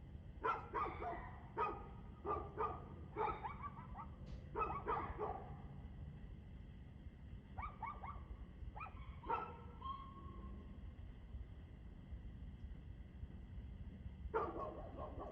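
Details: Dog barking, recorded 2/6/2024 at 6:02 pm: quick bursts of sharp barks in the first five seconds, a pause, another short volley around eight to ten seconds, then a final bark near the end, over a steady low rumble.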